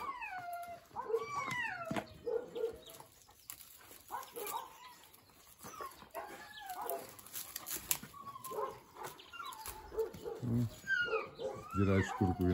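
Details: Eastern European Shepherd puppies playing in a heap at a Ukrainian kennel give many short, squealing whines and yelps, rising then falling, about two a second, with scrabbling paws and some louder overlapping cries near the end.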